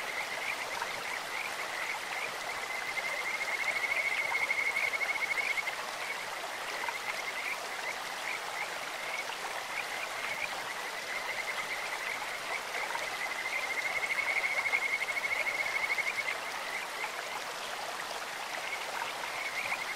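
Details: Kajika frogs calling in a clear stream: two long, sweet whistled trills near the same steady pitch, around the fourth and fourteenth seconds, with a fainter continuous trilling between them over constant rushing water.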